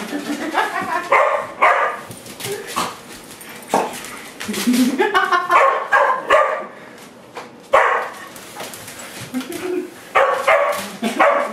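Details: Family dogs including a Doberman bark at a broom during play; irregular volleys of loud barks and a few whiny notes, with people talking over them and brushing sounds between bursts.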